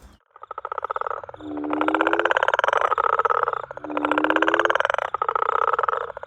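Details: Small greyish smooth frog calling in a garden in South Africa, thought to be a young bullfrog; rapid pulsed croaks in two long bursts, each opening with a short low rising note.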